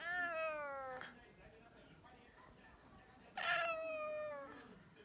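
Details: Cat sputtering after a cough, indoors, lets out two harsh, descending, wailing cries, each lasting about a second, separated by a short gap of faint rustling.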